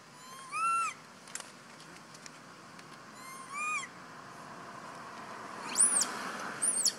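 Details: Bailee, a little monkey hurt by the angry monkey Bella, gives two drawn-out whistled cries that rise and fall, followed by brief sharp squeals over a quiet hiss.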